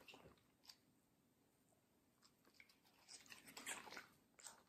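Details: Watermelon being eaten by Middle, a fluffy medium-size Samoyed girl, in a small room. Scattered soft crunches give way to a cluster of sharper, wet bites and crackling chews in the last couple of seconds.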